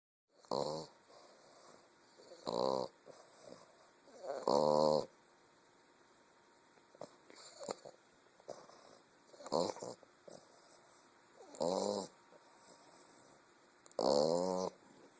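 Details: English bulldog puppy snoring while asleep, recorded on a phone: loud rasping, harmonic snores repeating roughly every two seconds, about seven breaths, with quiet pauses between them and a faint steady hiss in the background.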